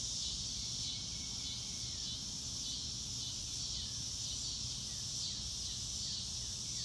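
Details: Outdoor nature sounds with no music, carried by a continuous high shrill cricket chorus that swells gently in places. Sparse faint downward-slurred notes and a soft low rumble sit underneath.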